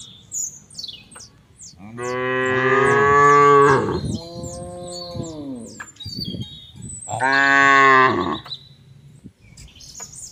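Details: Cattle in an oil palm plantation in Central Lampung, Indonesia, with a long moo that breaks into a second lower, arched moo, then another loud moo around seven seconds; birds chirp in the background.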